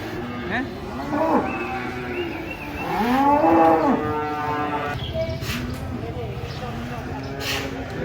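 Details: Cow coming down from a truck during unloading. It gives a few short lows, then a loud, long moo that swells and falls around the middle. People talk and a crowd murmurs in the background.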